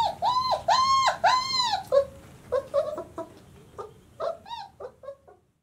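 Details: Twenty-six-day-old White Swiss Shepherd puppies from the 2019 Sienna and Valentino litter, giving a run of high arched whines and yelps, the first few long and rising then falling, followed by shorter quicker squeaks and whimpers indoors.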